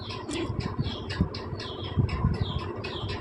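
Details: Chaki's five newborn Persian kittens keep up a rapid chorus of piercing, falling squeaks, several overlapping cries each second, with low thumps and rustling close by.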